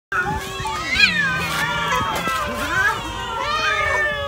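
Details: Hungry cat at dinner while eating food; overlapping rising and falling meows fill the clip without pause, some high and strained, with a steady low tone underneath and voices mixed in.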